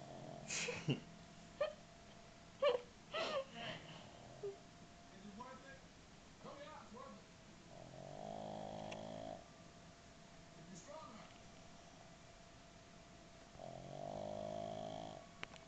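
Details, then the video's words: Oliver, a pet pug, snores while sitting up indoors: two long, droning, tonal snores about five seconds apart in the second half, after scattered clicks, short knocks and brief soft sounds. "Oliver sitting up and snoring"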